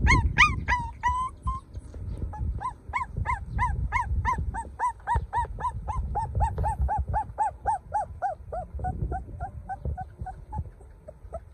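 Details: Young golden dog whining nonstop, a quick series of thin, bent whimpers that grow slightly softer and lower toward the end, over a dull low-pitched background rumble.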